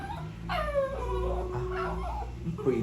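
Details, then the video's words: A poodle, excited at the sight of someone eating, gives a sudden high whine that drops and trails into a long, steady whimper, with a soft rising whine at the end and a low background hum. "Natataranta pag nakikitang kumakain ka"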